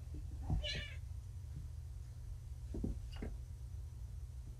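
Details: Kittens Vixen, Dancer, Donner and Prancer, found abandoned by a road, just back from neutering and groggy on pain meds indoors; one short, faint harmonic meow early on, then soft knocks over a steady low hum.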